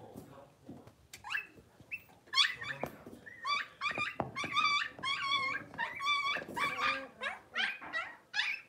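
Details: Blenheim Cavalier King Charles Spaniel puppies, six weeks old, from a litter of five, calling in an indoor puppy pen. Shrill, harmonic yips and whimpers repeat roughly every second, growing louder and more insistent toward the end.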